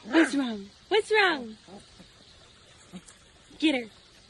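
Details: Dramatic Siberian Husky puppy vocalizing: several descending, whiny yelps that slide downward in pitch, a pair in quick succession then a final one after a pause, with faint background hiss.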